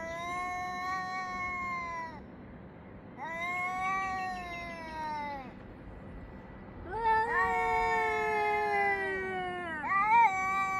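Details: Two cats trading loud yowls at dawn-hour 6:01–6:04 summer time, 3 Av 5785: long wavering wails of about two seconds each, separated by short pauses, a deeper voice joining near the end.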